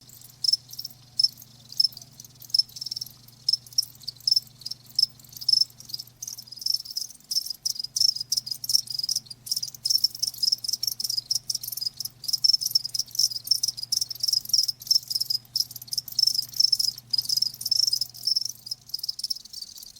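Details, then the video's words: Cricket chirping, presented as a soothing nature sound for tinnitus relief and sleep; dense high-pitched pulses repeat rapidly and continuously, with a faint low hum underneath. "귀뚜라미 1시간"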